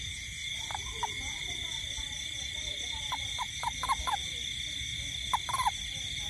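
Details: Toad calling in a garden at night during rain: short, low croaks come in scattered pairs and triplets, some louder than others. Over them runs a steady, high, ringing chorus of insects.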